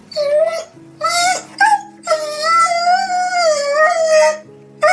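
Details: Dog crying, billed as funny crying: a series of high, nasal whines that rise and fall, some drawn out over a second or more, with steady background music tones underneath.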